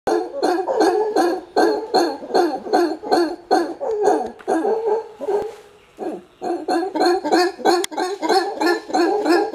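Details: Angry alpha male howler monkey in Panama, trying to chase people off his group's territory. Loud, rough, pulsed roaring in rapid repeated bursts, nearly three per second, with a brief lull in the middle before the roaring resumes.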